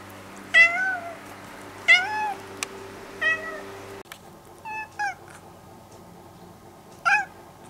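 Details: A formerly stray cat, now nearly a house cat, hears recorded cat voices played at home; clear, bright meows spaced roughly every one to two seconds, each short and bending downward, with a steady low hum underneath.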